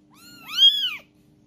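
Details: Young kitten left behind by its mother, in Palembang, Indonesia: a single clear meow, rising then falling in an arched, harmonic-rich wail lasting under a second, in a quiet indoor setting.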